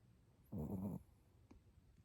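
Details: A sleeping Chihuahua snoring indoors: one rough, low, throaty snore lasting about half a second, then quiet breathing with a faint click.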